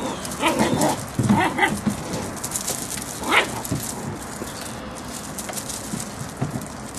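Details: Eight-week-old English Springer Spaniel puppies from the Puzzle Benny litter, July 25, 2013: a cluster of short, high, harmonic yips in the first two seconds, then one more sharp yelp near the middle, over steady hissing background noise.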